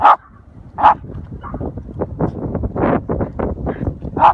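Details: Patterdale terriers on a hunt, including a 10-week-old puppy on its first hunt alongside 5- and 10-month-old terriers and another dog, after finding an armadillo in a hole: loud sharp barks at start, near one second and at the end, with scuffling and digging noises between.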